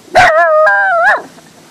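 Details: Dog barking at something in the sky: one loud, drawn-out, tonal yowl of about a second, starting with a sharp onset, holding a steady pitch and then stepping slightly higher before ending in a breathy drop, with quiet background.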